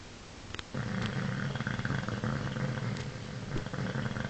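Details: Paul, a bulldog, snoring: a steady low rumbling drone, harmonic bands throbbing beneath faint higher rasps, continuous after a brief quiet start.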